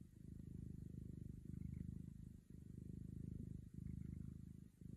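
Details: Domestic cat giving a deep, continuous purr, low throbbing pulses grouped into breaths of about one to one and a half seconds, with faint room hiss behind.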